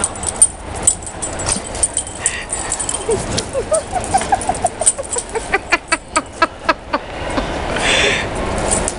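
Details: Puppies Ivy, Beanie and Bigsby at play time at Crufts in the evening after everyone has left; a run of about a dozen short, rising whimpery yelps comes at an even pace over a noisy hall murmur, with a person talking.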